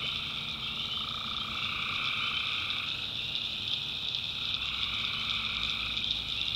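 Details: Many tree frogs calling together after dark in a North Carolina swamp; bright sustained high trills layered with a softer lower band that wavers in and out.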